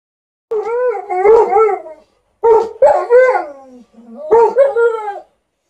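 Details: Two dogs, an Alaskan Malamute and another dog (tags also mention a golden retriever), compete with wavering, yodel-like howls and rough barking bursts in three drawn-out bouts.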